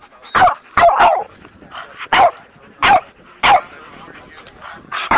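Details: Alaskan Malamute playing with a four-month-old Boston Terrier puppy during socialising; sharp, loud barks repeated roughly every half to one second, some in quick pairs, with quieter grumbling between.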